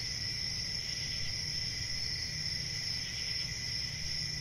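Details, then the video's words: A constant cricket chorus of high, even trills on two pitches, unbroken throughout, over a soft low rumble. "Cricket Sounds"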